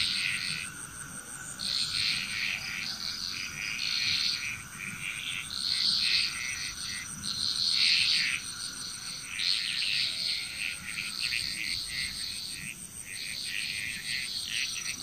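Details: Bali, Indonesia frogs calling in a dense chorus, with long rattling bouts of rapid high notes that swell and fade every few seconds above a continuous shrill hiss and a steady background tone.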